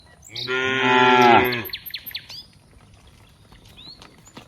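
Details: Cows playing together in green rice fields; one loud, harmonic-rich moo lasting about a second and a half, followed by faint bird chirps in the background.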